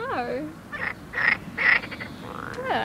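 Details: A very small frog calling by a river in the Midi-Pyrenees, southern France, its throat seen swelling: bird-like whistled notes sliding steeply downward, separated by short bright buzzy bursts, with people's voices in the background.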